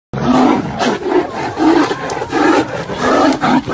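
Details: A Siberian tiger and a white tiger fight, giving harsh, rasping roars and snarls in quick, uneven bursts.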